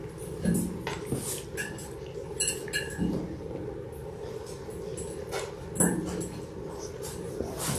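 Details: Six-week-old Labrador Retriever puppies, a litter of six born January 18, 2022, indoors: brief soft whimpers and squeaks recur among rustling and shuffling, with a steady low hum running underneath.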